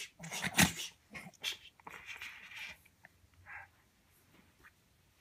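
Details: A Pekingese puppy, boxing and playing with its owner, gives short snuffly grunts and thin, high whines amid rustling handling noises.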